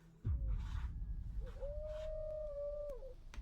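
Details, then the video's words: A group of coyotes closing in around a truck at night, calls echoing through the dark: after a sharp thump, one long steady howl holds a level pitch for over a second before dropping away, with soft rustling noise. "A whole group of coyotes had closed in, their calls echoing through the dark."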